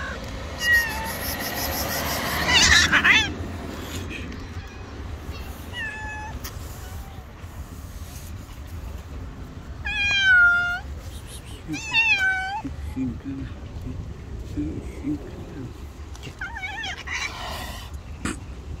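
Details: Rival stray street cats, an angry white cat and an angry tabby, facing off outdoors; several drawn-out, bent, harmonic-rich meows come in separate bursts several seconds apart, with a brief noisy scuffle early and low background hum.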